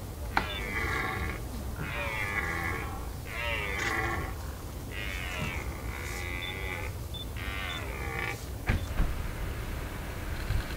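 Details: Red deer stag Lambertus at a rut spot on the Veluwe, on a still quiet field, with occasional burls also carried from the back of the field; a series of about seven drawn-out, harmonic roaring bursts, roughly one second each, over low steady rumble.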